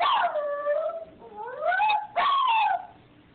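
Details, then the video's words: Dog crying in long, mournful whines, three drawn-out wavering notes: one falling, one slowly rising, then a sharper rising-falling cry, clear and close with little else heard. "Crying Dog"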